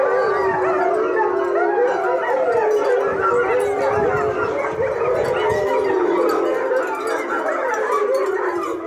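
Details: A litter of German Shepherd puppies, two liver and tan and one black and tan, with their playful littermates; continuous loud, overlapping high whines and squeals, wavering and sliding in pitch, forming a dense, unbroken chorus.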